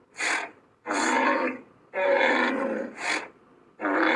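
A Cape buffalo gives harsh, raspy bellows in short bursts, repeated about once a second.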